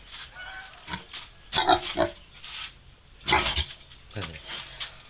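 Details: Captive wild boar piglets, still young and being hand-raised, let out several rough, noisy squealing bursts, with a longer cluster midway and a brief grunting squeal near the end, and faint human voices in between.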